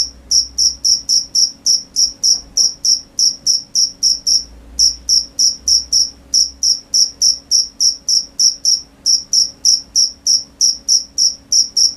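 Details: Night cricket chorus: rapid sharp high chirps in a fast regular train, briefly pausing twice before resuming, over a quiet low background hum.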